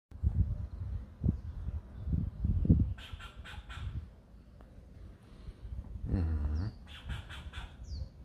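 A squirrel gives bursts of short, harsh barking notes, repeated in quick runs over a low rumble.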